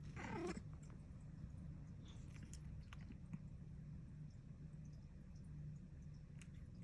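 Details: Sleeping cat with a quiet, steady, low rumbling snore held throughout, after a brief scratchy rustle at the start and a few faint clicks later.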